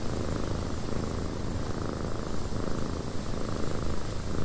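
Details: Purring cat inside a windy cabin, a dense, low, even rumble with no clear breaks, set against faint background wind.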